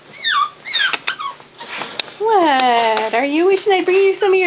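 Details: Cavalier King Charles Spaniel puppies, a boy with his sister among a litter, whimper indoors: a woman talks softly at first, then a long high whine bends down and back up, followed by short wavering whimpers.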